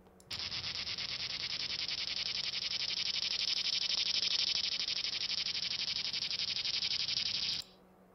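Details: A single periodical cicada, recorded during the brood 13 and brood 19 emergence in Illinois, gives a loud, steady, high buzz with a fast pulsing throb, holding unbroken for seconds.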